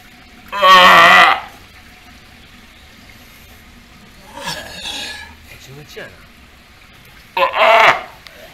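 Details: Steller sea lion pup about three months old, raised by its mother Hina at Ise Sea Paradise aquarium in Japan, a rather wary youngster; three loud, harsh, bleating calls, each under a second, spaced about three seconds apart, with quiet between.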